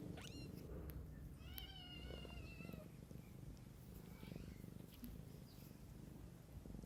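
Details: Mother cat tending her kittens outdoors, a steady low rumbling purr running throughout, broken by a short high kitten mew at the start and a longer wavering mew around the second and third seconds.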